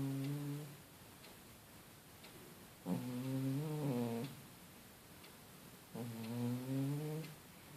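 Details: Male house cat snoring in its sleep, three low, buzzy harmonic snore bursts about three seconds apart, each close to a second long, separated by soft near-silent breathing.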